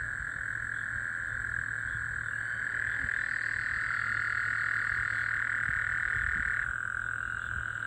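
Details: Several Gulf Coast toads trilling at night following recent rainfall on June 24, 2024: overlapping, unbroken, mid-pitched trills throughout, dropping slightly in pitch as one caller takes over near the end, over a constant low hum.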